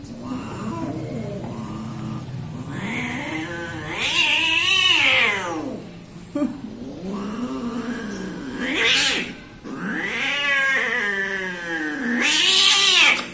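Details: Timid orange cat yowling in long drawn, arching wails, three main howls rising and falling with rich harmonics, separated by short pauses, a brief sharp burst near nine seconds.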